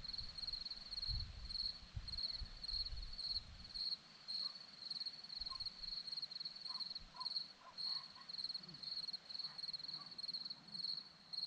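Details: Crickets chirp on a hillside in Zorlesti, Romania: a steady shrill pulsing, close to two chirps a second, carries on throughout. Brief low rumbles of wind sound early on and soft faint sounds come and go.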